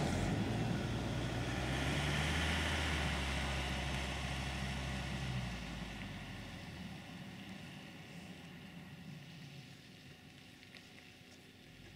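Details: A vehicle engine drones at a low pitch, loudest early on, then eases off after about five seconds. No animal sounds can be made out over the mechanical noise.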